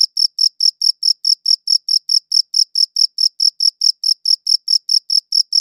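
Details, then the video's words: Chirping crickets on a high-quality recording: rapid, evenly spaced, piercing high chirps, each a short ringing burst, continuing without pause across the whole stretch against a totally quiet background. "Cricket Chirping Sounds"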